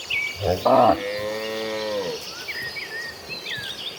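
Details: Herd of dozens of tame cattle heading to pasture on a farm; one long, slightly falling moo lasting over a second after a rough onset, with small birds chirping throughout.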